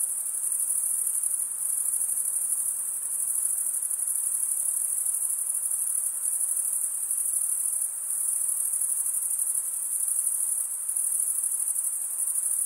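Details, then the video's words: Steady high-pitched chirping of male crickets, produced by wing stridulation, forms a constant shrill buzz-like trill with faint periodic dips in intensity every few seconds. "Most relaxing cricket sound for 8 hours"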